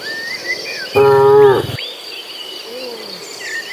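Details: Cattle herd walking to green pasture: one loud, steady moo lasting under a second, with bird whistles and an insect drone around it.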